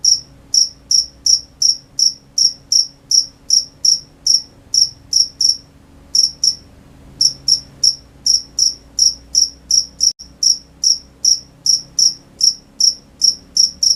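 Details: Crickets at night, a steady series of short high chirps repeated about two to three times per second, with one brief pause near the middle and a faint low hum underneath.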